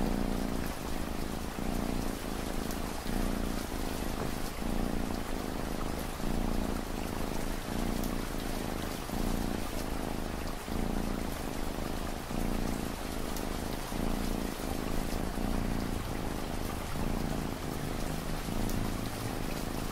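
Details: Domestic cat purring steadily under a constant wash of falling rain, a low rumbling drone with soft, regular breathing pulses just under a second apart, layered for relaxation and study.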